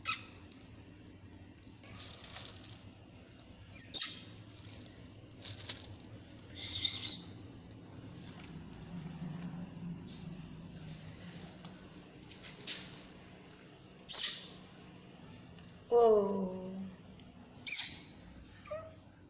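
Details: Fearful kitten produces scattered sharp hisses every few seconds at the person filming, with a brief falling mewing cry near the end, in a quiet room.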